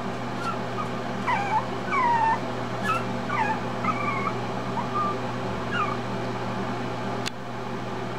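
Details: A teacup Chihuahua puppy, left alone in its bed, cries for its owners: a run of thin, high whimpers and short yips, some rising and some falling, about one a second over a steady low hum.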